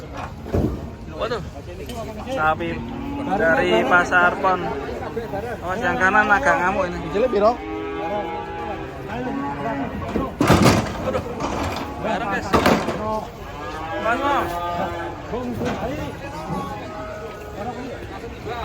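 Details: Cattle being unloaded from a truck, giving several drawn-out, wavering moos with rich harmonics that rise and fall, mixed with people talking and sharp knocks and bangs in the background.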